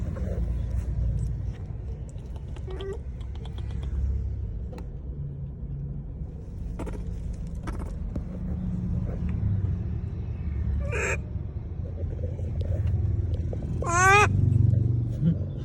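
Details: Monkey calling people, giving two brief bright calls near the end, the second a steep rippling squeal, against steady traffic rumble and scattered clicks.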